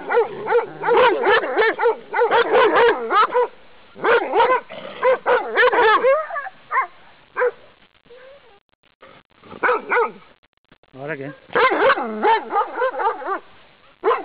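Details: Fierce barking of a dog through a fence, startling a walker on a pleasant path; bursts of loud, harsh barks in rapid runs, pausing around seven to eleven seconds before barking resumes.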